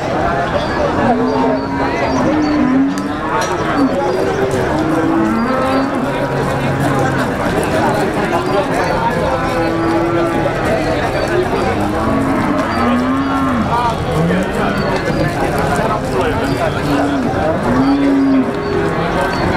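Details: Pegon cattle, black, at the Wagenan livestock market in Margerejo, Pati, Central Java; repeated short lowing calls with arching tones across a dense crowd murmur, speech and market bustle throughout.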